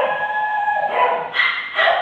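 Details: Black Labrador Retriever puppies in Delhi: a short, thin tonal whine that steps higher in pitch partway through, in two brief rising bursts.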